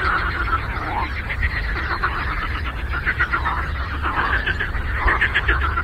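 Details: Chorus of frogs on a lake. Overlapping, pulsed, raspy croaks pile into a continuous chattering wall, with a few louder swelling calls standing out and a low background hum beneath.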